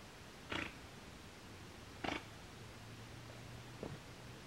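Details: Giant otter; alarm call; warning of danger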